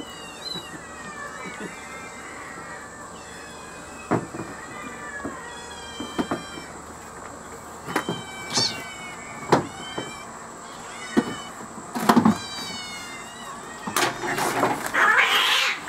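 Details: Kittens being fed while on holiday in Northern Mississippi, among ten kittens and three cats; repeated high meows with rising and falling harmonics, scattered clicks and knocks, growing louder near the end.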